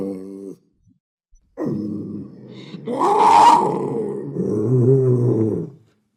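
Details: Panther giving deep, guttural growls: a short low rumble, then a longer rasping growl that swells into a harsh, louder roar-like burst before settling into wavering, throaty growling.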